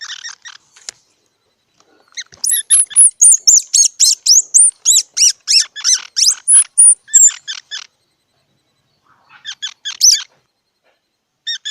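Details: Squirrel calling in a rapid burst of high, squeaky chirps, run together for about five seconds, then a short pause before a few scattered squeaks return near the end.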